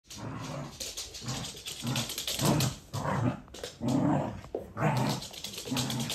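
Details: A Corgi makes low, grumbling growls in short bursts, roughly one per second, over a constant hissing, rushing background noise.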